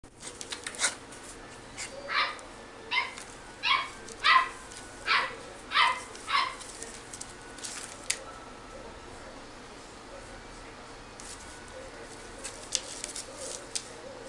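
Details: Toy Poodle and Shih Tzu mix puppy at a pet shop in Japan barking: a run of about seven sharp yaps roughly every half second, then quiet room with faint hum and scattered clicks.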